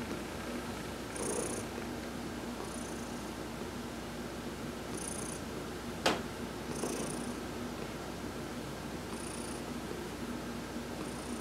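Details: Deep rhythmic purring by Heidi, a domestic cat, during a massage in a sun bath, November 19, 2020; breathy hisses recur about every one and a half to two seconds, with one sharp click midway.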